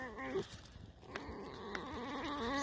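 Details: Tame fox in the evening, near a fence, giving a soft, wavering, creaky whine with a strained, nasal quality that rises and falls over a few seconds, while a man talks quietly nearby.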